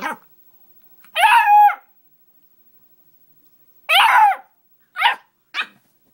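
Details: Ten-week-old Beagle puppy barking and baying: a long wavering bay lasting over half a second, then a second drawn-out bay, followed by two quick shorter barks, separated by silent pauses.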